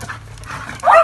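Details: Two dogs, a German Shepherd and a Doberman named Tiffany and Thunder, meet for the first time and become friends. Quiet rustling, then one short, loud, high whine near the end.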